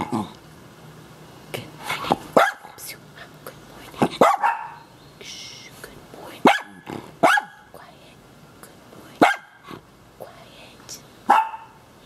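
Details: Two excited pet dogs, including a blind miniature schnauzer, greet their owner happily in the morning: short sharp barks and yaps in bursts every second or two, with soft human voice between them.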